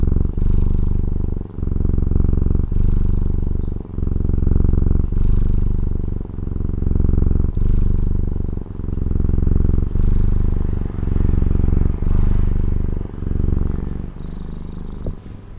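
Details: Pet cat from Taiwan purring close up, a strong, low vibrating drone pulsing in regular breath cycles just over a second apart, with faint soft clicks between some breaths.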